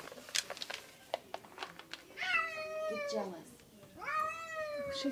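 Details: Indoor pet cat Kitty Belle, wanting badly to reach her friend, gives two drawn-out descending-then-rising meows after some clicks and taps, with a woman speaking softly.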